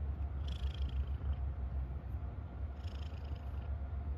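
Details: Domestic cat purring happily, a low pulsing rumble rising and falling with each breath, joined by two brief soft hissy rustles.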